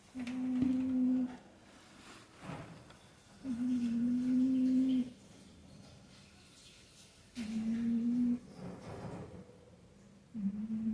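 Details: Female cat snoring indoors: a steady humming tone with a fainter overtone above it. Each tone lasts about one to two seconds and returns roughly every three to four seconds, with quiet breaths between.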